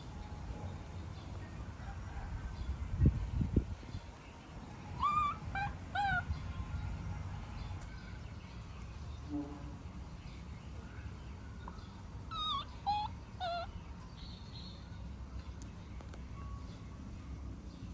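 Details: Baby monkey throwing a tantrum as its mother leaves: two bursts of high, squealing whimpers that rise then fall, several in quick succession each time, separated by quieter stretches over a steady low rumble of background noise.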